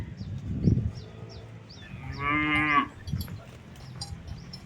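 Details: Simmental cattle in a newly formed herd, one long harmonic moo lasting under a second near the middle, with small birds chirping in the background and faint thuds.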